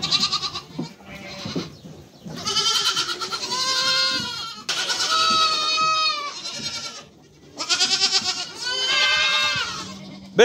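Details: A mother goat and her kids bleat in long, wavering, nasal cries, the higher kid voices mixed among the deeper adult calls.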